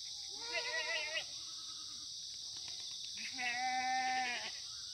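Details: At a free-range farm in Gimhae's Sangdong-myeon on a sunny September 2019 morning, Korean black goats give two main bleats: a wavering, nasal one, then a longer, steady, rising and falling cry, with faint calls between and a steady high hiss throughout.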